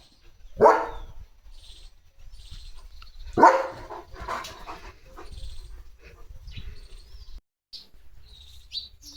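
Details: Playful pet German Shepherd named Leo, in a mischievous mood with a household slipper, gives two strong, abrupt barks roughly three seconds apart, followed by quieter background rustling.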